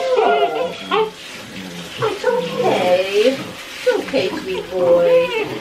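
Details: Six-week-old Great Dane puppies crying through their first bath indoors, hating the water and huddled together; high, wavering whimpers rise and fall in quick bursts, overlapped by a person's nervous, soothing talk.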